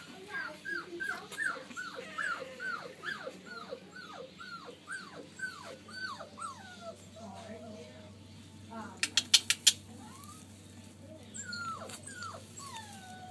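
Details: Boston Terrier x Pug (Bugg) puppies whimper in a quick run of high, falling squeals with a few sharp clicks.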